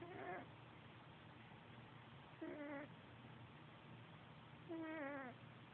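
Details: Sergeant Pepper, a pet cat, sleeps on a bed beside his buddy Rigby. Squeaky, whistled snores rise and fall with each breath, coming about every two and a half seconds, over a low steady background hum.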